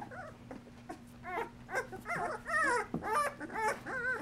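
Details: Dream Litter Golden Retriever puppies, two weeks of age and nursing with their mother Mercedes, produce a run of wavering, rising-and-falling whines and small yips, several pups calling over one another in close succession.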